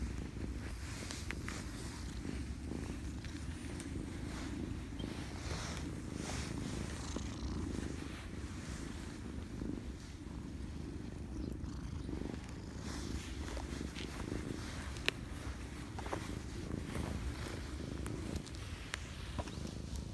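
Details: Domestic cats met beside Lake Biwa, Japan, several crowding around and climbing onto a person; a steady low rumbling purr runs continuously throughout, with faint rustling and occasional soft clicks from handling.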